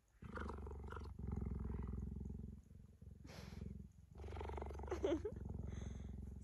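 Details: Deep pulsing purr from a tame cheetah lying with its owner on a blanket, coming in several long bouts separated by short pauses, with a brief woman's exclamation near the end.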